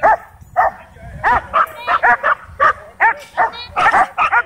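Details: Excited dogs at a dog park bark at a hovering DJI Mavic 2 drone. A rapid, near-continuous volley of sharp barks mixes with a few higher yips, around three or four per second, with little background.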